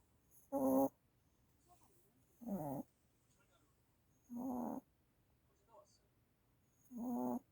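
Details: A one-year-old puppy, once sleepless from seizures, snores steadily: four rasping, rattly snorts about every two seconds, with soft breathing sounds between them.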